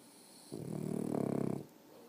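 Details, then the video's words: Dog snoring: one rattling, buzzy snore about a second long, with a rapid fluttering pulse, rising slightly in loudness before stopping abruptly. "Max snoring"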